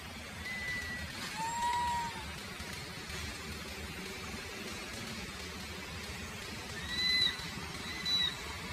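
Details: A baby monkey gives thin, high, whistled calls, a few seconds apart, calling for its mother; perhaps hungry and wanting milk.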